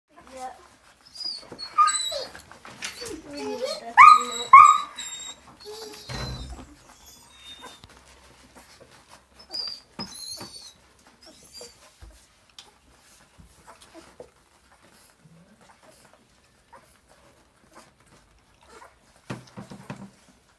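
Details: Hungry Vizsla puppies aged three and a half weeks, indoors: several high, thin whimpers and squeaks early on, mixed with a woman talking, then fading to scattered quiet squeals.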